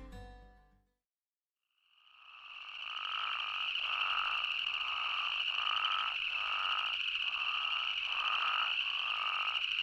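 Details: Spadefoot toads and boreal chorus frogs calling together in Yellowstone National Park: after a brief silence, a dense steady trilling drone sets in, with louder pulsing calls repeating roughly every second beneath it.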